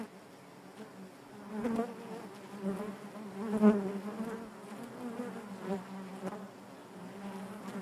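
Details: Inside a honey bee hive, countless bees make a continuous droning hum. It surges loudly near the middle of the recording, then settles back to an even buzz, with occasional brief ticks.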